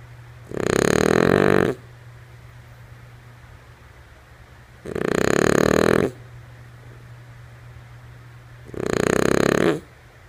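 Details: Sleeping female French Bulldog named Lulu gives three harsh, throaty snores, each just over a second long, spaced about four seconds apart, with hushed gaps and a low constant hum beneath.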